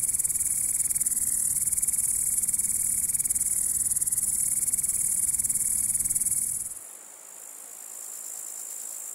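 A grasshopper's high, dry buzzing trill runs steadily for several seconds, then stops abruptly.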